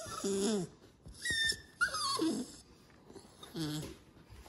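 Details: Several blue black English Staffordshire Terrier pups wanting their owner's ice cream give short squeaky whines and yelps in bursts, some tones bending up or down, separated by wheezy snuffling breaths.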